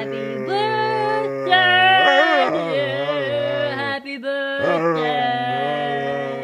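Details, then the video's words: Daisy, a female dog, howls along while a person sings Happy Birthday loudly; long sustained wavering tones slide up and down in pitch, tangled with the human voice, with a short break near the middle. "Dog (Daisy) sings Happy Birthday"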